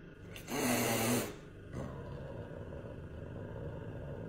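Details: Big angry cat hissing: one loud, breathy burst of rough noise lasting under a second, then a fainter puff, followed by a steady low indoor rumble.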